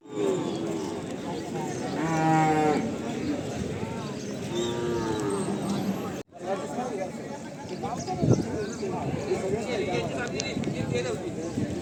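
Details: Cattle at the Chakan bull market, Khed taluka, Pune district, recorded Saturday 3/8/2025: one clear, rising moo early on, with a busy background of voices and market noise throughout.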